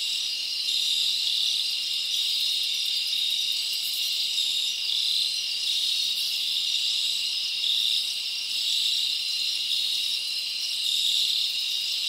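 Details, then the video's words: A steady high-pitched trilling from crickets fills a summer forest at night, many insects overlapping into one continuous ringing drone with small pulses of brighter chirps. "Live Crickets Natural Sound"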